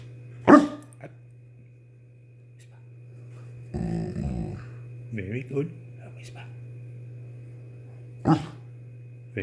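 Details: A male Rottweiler about 21 months old, trained to 'whisper' by snapping his jaw with a moan or soft woof, gives short, breathy chuffs and low, rough whines, with a person speaking in between over an electrical hum.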